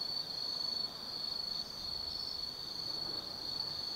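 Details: Autumn insects singing at night in the forest of Tsukimi no Mori, Kaizu, Gifu, Japan, 180 m above the lit Nobi Plain: a continuous high, steady shrill trill that never breaks, over a soft low background hiss.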